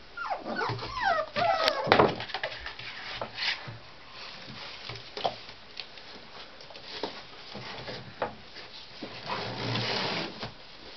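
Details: Tibetan Terrier puppies, born 23 October, indoors: a quick run of rising and falling squealing whines at the start, then mostly scuffling, tapping and shuffling noises with a few faint squeaks.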